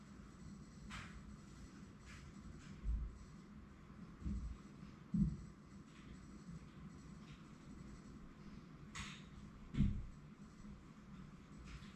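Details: A quiet indoor room hums softly, broken by a few scattered faint thumps and clicks.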